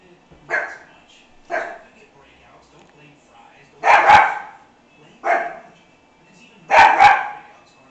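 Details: American Hairless Terrier puppy barking at a person seen in the mirror, excited and agitated: sharp bright barks, some single and some doubled, spaced about a second or more apart, with softer yips between, indoors.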